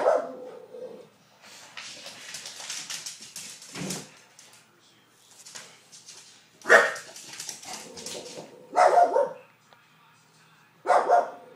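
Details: A female English Bulldog lets out gruff, harmonic barks in short bursts, protesting the whoosh of a hair dryer and upsetting another dog in the house.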